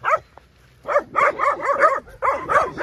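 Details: Very young puppies, separated from their mother and abandoned, give high, arched yelps and whimpers in quick overlapping bursts while being collected by rescuers at a feeding point.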